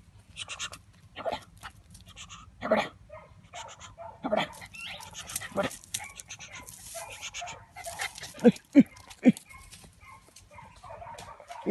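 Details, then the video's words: Fox Terrier giving a series of short, sharp barks and yips, spaced irregularly and louder toward the end, with a person talking and some panting between them. "FOX TERRIER"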